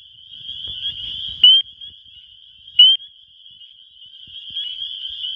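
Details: Spring peeper males in a Wisconsin spring chorus, calling for females, captured on a phone: a continuous high-pitched trill of many peepers, with two loud, sharp upslurred peeps about 1.4 seconds apart and faint low thumps.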